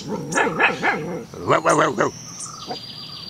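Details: Black Belgian Shepherd Groenendael puppy, 2.5 months old, in its usual morning talk: wavering, rising and falling vocal growls and grumbles in two bursts, followed by a thin high whine.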